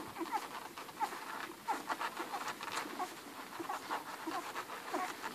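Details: Eleven Irish Red and White Setter puppies nursing hungrily on their mother Ruby produce irregular wet sucking clicks and small squeaky whimpers, with a steady low rustle underneath.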